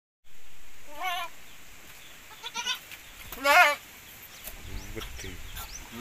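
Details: Goats from a cross between Javanese and Boer breeds, a pairing said to produce larger kids with better build, give two wavering, quavering bleats about two seconds apart over a quiet farm background with faint distant sounds.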